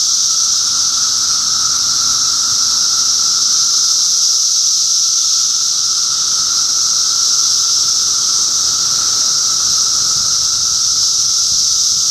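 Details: Many cicadas calling together in Middlesex County, New Jersey, June 2013, their hiss-like buzzing holding level without pause above a steady hum.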